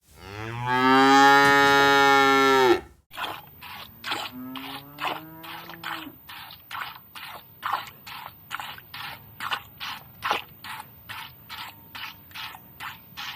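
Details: A cow gives one loud, drawn-out moo, followed by the rhythmic squirting of milking by hand.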